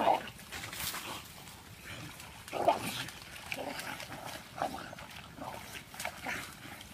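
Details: Dogs during a fight: brief sharp barks and snarls scattered through the stretch, heard under near-constant Vietnamese speech from people close by.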